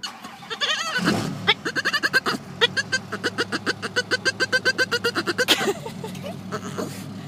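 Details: Bruce, a very vocal Boston Terrier, gives a fast run of squeaky, pulsing chirps at a dog seen at a bank drive-through, wanting to make friends, as people laugh.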